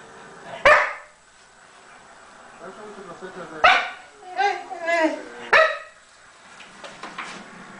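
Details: English Springer Spaniel in a play fight with a cat on a couch. Three single sharp barks are spaced a few seconds apart, with wavering whiny vocal sounds between the second and third.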